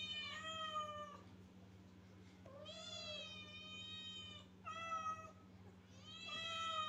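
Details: Kittens giving long, drawn-out, high meows that hold level then dip at the end, four calls spread over seven seconds with quiet gaps, over a faint constant hum.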